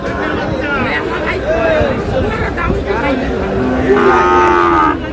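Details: Sahiwal bull calves at a cattle market in Mymensingh, Bangladesh, where a farmer is buying: a drawn-out moo rises and falls, then a second lowing call near the end, over steady crowd chatter and men talking.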